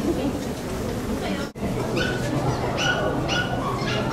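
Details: Poodles at a Saitama West poodle club branch show, 9 June 2008: after a burst of crowd chatter, a dog gives three or four short, high, sharp yips in quick succession over constant background voices.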